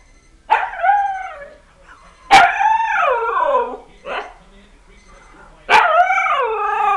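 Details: One-year-old pet husky reacting to an alarm it dislikes, letting out wavering, talking howls that bend up and down in pitch, three long sweeping phrases with a short yelp between them.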